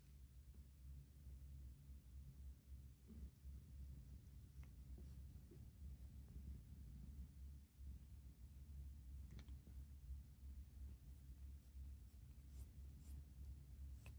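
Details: Stella, a calico cat, licks a person's hand indoors: soft wet rasping clicks, sparse at first and then coming quickly in bursts over a steady low room hum.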